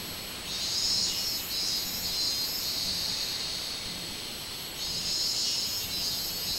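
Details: Minmin cicada chorus on 24 July 2016, a shrill buzzing drone that surges in long swells, drops away near the middle, then builds again.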